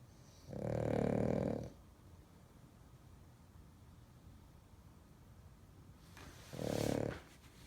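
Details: A French Bulldog snoring loudly: two long, rough, rasping breaths about six seconds apart, each lasting roughly a second, with quiet steady breathing between.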